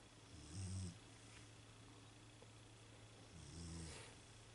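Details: A sleeping female Beagle snoring: two low, harmonic, rasping snores about three seconds apart over a steady background hum.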